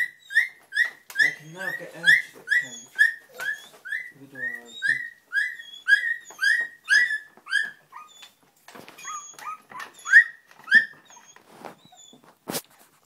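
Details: English Springer Spaniel puppies taking their first steps give high, squealing whines with a downward slide, repeated about twice a second for eight seconds, then sparser and softer, ending with a sharp click.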